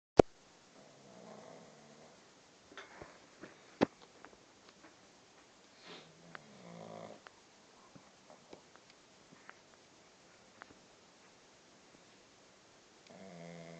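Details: Puppy named Stella, awake, making snoring noises indoors: short raspy snorting bursts separated by longer pauses, with sharp clicks and knocks in between and a final rough snore at the end.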